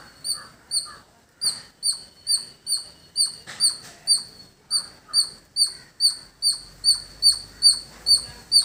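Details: Steady, high-pitched chipping from a village squirrel, each note short and ringing, repeated about twice a second with one short gap early on. A faint low hum appears near the end.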